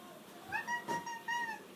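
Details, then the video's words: Pet cat "talking" to its owners after being asked if it is hungry: a few short, clear mews in quick succession over a faint background hiss. "Ranking Cats Talking Moments"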